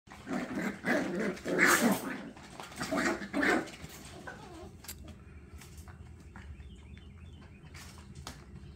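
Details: Scottish Terrier puppies from a litter playing rough, several rowdy growls and yips in the first four seconds, then quieter background with faint scuffling clicks.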